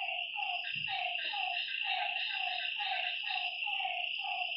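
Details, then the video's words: Frog at a lakeside at night giving a regular series of brief, downward-sliding notes, roughly two per second, with a continuous shrill insect hum behind and one soft low thump. "Lakeside night creatures and frog sounds"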